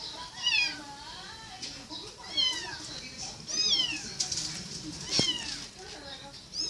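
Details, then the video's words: Small kitten meowing repeatedly, brief high squeaky calls that bend downward, several per couple of seconds, with a click and background murmur of people. "Little Kitten says meow"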